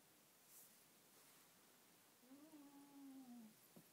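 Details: Schipperke dog sleeping indoors, possibly dreaming, gives a faint, drawn-out tonal whine lasting about a second, steady then dipping slightly, in a quiet room.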